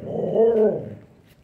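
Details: Combai dog in Kanyakumari, India, lets out one loud, rough growling bark lasting about a second with a harsh tonal core, right after a man tells it in Tamil to go inside.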